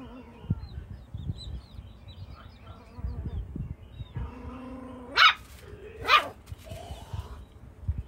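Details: Jack Russell Chihuahua at play with chickens: a soft tonal whine-like sound rises into two sharp barks about a second apart, amid faint chirping and background rustle.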